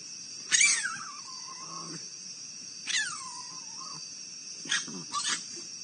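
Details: Raccoons fighting, picked up by a live wildlife camera in Akron, Ohio: three bursts of harsh screeches that slide down into drawn-out whining wails, about two seconds apart. A steady high electronic whine runs underneath.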